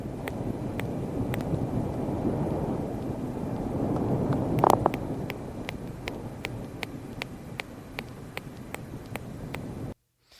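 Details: Beaked whale recorded underwater, its song likened to that of sperm whales but less intense: a series of sharp broadband clicks at irregular intervals over a steady low rumble of water noise, ending abruptly.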